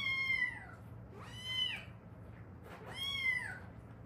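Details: Stray cat from a mother-and-daughter pair that lived seven years in Haeundae before rescue and fostering: three drawn-out, richly harmonic meows, each sliding downward, spaced over four seconds against a low steady indoor hum.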